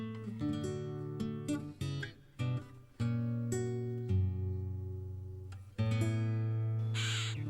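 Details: Plucked acoustic guitar music with sustained low chords and no animal sounds.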